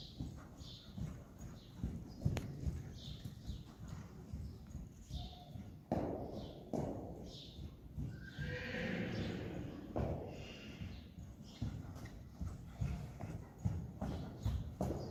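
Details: Friesian horse Reintje fan 'e Goëngamieden during a riding session practising shoulder-in and travers, July 17, 2019; a drawn-out whinny rises mid-clip over steady hoofbeats, with thuds and occasional voices around.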